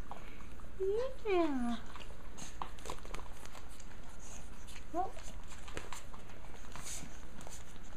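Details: A Japanese Chin puppy from a litter lets out a sliding, descending whine, then a short rising squeak a few seconds later, while a person talks gently in the background.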